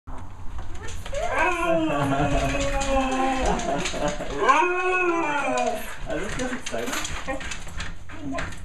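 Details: A female Siberian Husky, excited as her owners come home from vacation, gives long, wavering, yodel-like woos that rise and fall, egged on by calls of the other husky's name, which make her jealous.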